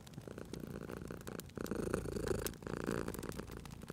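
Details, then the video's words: Cat purring at a crackling fireplace, a soft low rumble that fades and then returns stronger after a brief lull, with scattered fire pops across the short stretch. "Cute Purring Cat at a Crackling Fireplace"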